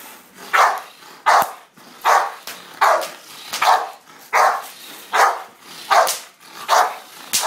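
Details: American Bulldog barking in a steady series of loud, sharp, mid-pitched barks, about ten in seven seconds, evenly spaced with brief gaps between each.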